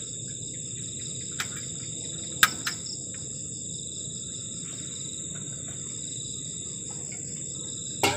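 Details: Steady shrill cricket trilling at three stacked pitches fills a cold night at a forest-edge garden shelter. Brief sharp taps break in now and then over a constant low rushing noise.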